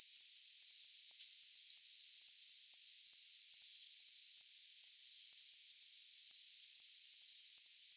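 A cricket chirps steadily, high and pulsing, in quick bursts about twice a second.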